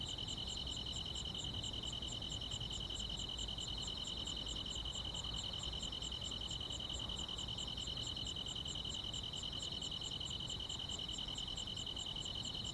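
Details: Summer-night chorus of grass insects: a steady piercing trill beneath a quick, metronome-like series of high chirps, around two to three per second, with soft rumble underneath.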